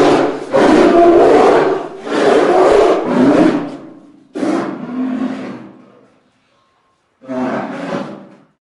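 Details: A polar bear gives harsh, raspy growling roars in long rough bursts separated by brief pauses; a sound-effects recording.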